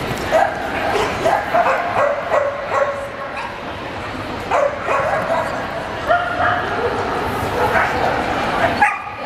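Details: Champion class male Samoyeds at Lahti, 27 April 2014, giving bright, abrupt barks and yelps in uneven clusters, with a constant murmur of human conversation in the show hall behind them.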